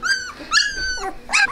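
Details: A 16-day-old Australian Shepherd puppy cries in three clear, high, harmonic whines, each about a quarter second long, the middle one longest and sliding slightly downward, close up in a small room.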